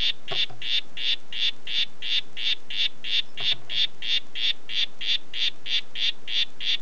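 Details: Oophaga histrionica poison dart frog of the "Red Head" form calling: a steady series of short buzzy chirps repeated about three times per second, with a few faint low thumps near the start.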